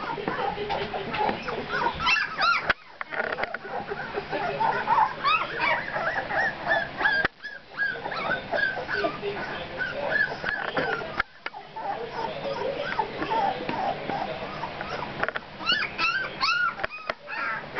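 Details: A litter of puppies at two weeks old makes a busy chorus of thin, high whines and yelps, overlapping and irregular, with short pauses and a person's voice heard now and then.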